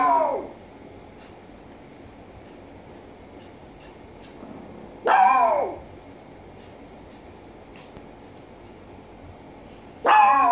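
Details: Japanese Chin, also called Japanese Spaniel, barking indoors: sharp, high bright barks with a falling tail, spaced about five seconds apart, three heard, with quiet room hum between them.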